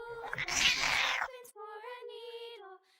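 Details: Pet cat heard after a burst of loud rustling noise: a single long, level meow lasting over a second that fades out gently at the end.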